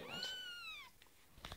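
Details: A single drawn-out kitten mew, nearly a second long, starting high and sliding gently downward, followed by faint rustling; the litter is nine days old.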